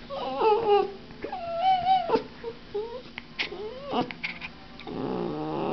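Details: Saphira, a puppy, whining while being shaken: high, wavering whimpers with bending, rising and falling tones in short bursts, some sliding upward, separated by brief pauses.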